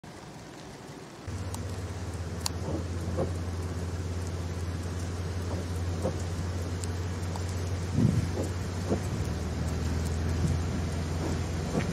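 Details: Steady rain and low rumbling, with a constant low engine-like hum and scattered drips, with no animal voice.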